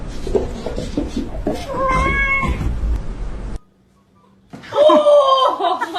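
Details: Mother cat calling her kittens, indoors with people nearby: a drawn-out, slightly wavering meow, a brief silence, then a louder, longer meow falling at the end, with talking in the background.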